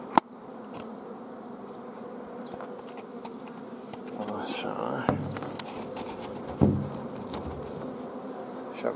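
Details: Apiary hive of honey bees on 14 June 2016, colony short of forage with the queen kept from laying; a constant low buzz runs beneath sharp knocks, handling noise and a brief burst of human voice midway.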